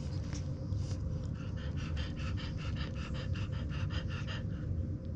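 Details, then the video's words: Day-old French Bulldog puppies, about 24 hours old, nurse from their sleeping mother: a steady run of soft rhythmic suckling pulses, several per second, over a constant low indoor hum. "24 Hours Old French Bulldog Puppies Nursing Milk Out Sleeping Mommy"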